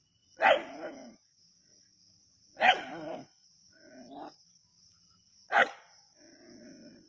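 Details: Native dogs at Keezhadi hunting a snake: three loud harsh barks spaced about two to three seconds apart, each trailing into softer whining or growling, over a constant high-pitched hum.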